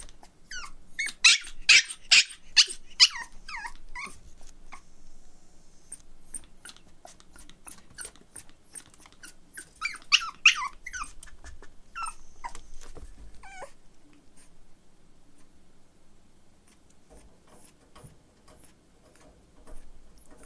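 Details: Energetic young male Pomeranian puppy indoors yapping in rapid high-pitched bursts, several yips per second, two loud flurries separated by quieter squeaks and scattered clicks, fading toward the end.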